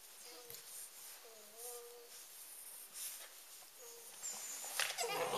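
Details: Eight-week-old Rhodesian Ridgeback pups Pig and Beau at play; a few short, steady, tonal whines spaced a second or two apart, then a loud burst of scuffling and rustling near the end.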